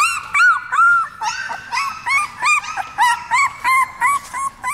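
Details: Seventeen-day-old puppies brought into a Korean dog café for the first time cry in loud, evenly spaced yelping whines, each a rising-then-falling squeal, about three per second with clear gaps.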